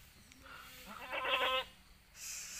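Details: Goat kid on a village farm in Pacitan, one of nine kids born within a week to four does, giving a single wavering bleat of about half a second amid low background noise.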